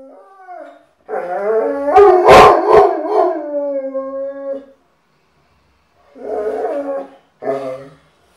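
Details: An Irish Wolfhound indoors howling because it knows someone is about to come home: a long, wavering, mournful howl of several seconds sliding slightly downward, then two shorter howls after a pause.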